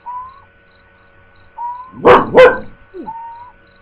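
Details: Dog giving two loud, sharp barks in quick succession, with steady thin whistle-like tones sounding before and after them.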